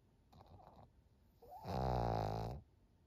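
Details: Senior fawn pug Maria, a thirteen-year-old female in Japan, June 2023: faint rustling breaths, then one loud, deep, buzzing snore of under a second that cuts off sharply into room quiet.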